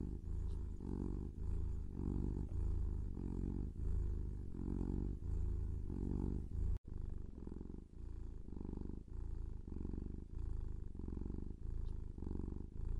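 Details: Kitten purring, a low throbbing rumble rising and falling with each breath, roughly two pulses per second, with a short break partway through.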